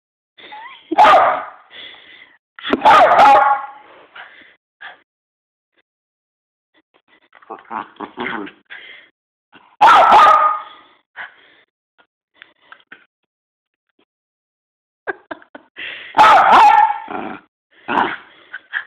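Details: Frustrated Miniature Poodle struggling to eat a treat makes four loud, strained, broadband yelping bursts spread several seconds apart, with softer grumbling and scuffling noises in between.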